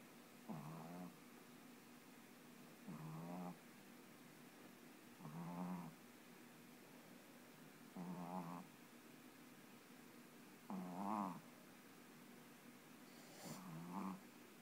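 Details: A Pekingese-free note aside: a Boston Terrier puppy falling asleep and snoring in low, rattling breaths about every two and a half seconds, getting very loud at times.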